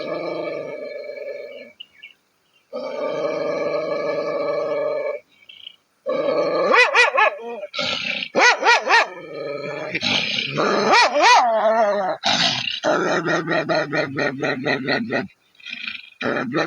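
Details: A dog in Bangladesh gives drawn-out, tuneful howls that waver and bend in pitch, broken by brief pauses.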